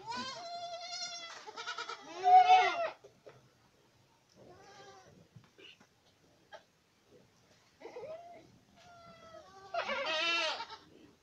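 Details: Boer goats in Acatlán de Osorio, Puebla, Mexico: loud, wavering, harmonic bleats open the recording and return near 2.5 s and at the end, with softer bleats scattered between.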